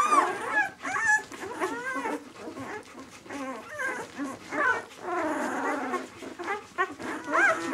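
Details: White German Shepherd puppies, B litter, aged six days, produce mixed whines and thin squeals, some wavering arched cries and low grumbling whimpers, several pups overlapping in a continuous litter chorus.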